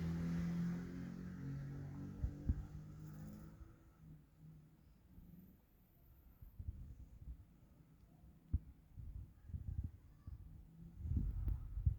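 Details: A faint low rumble and hum, with scattered knocks and clicks, runs throughout with no animal calls.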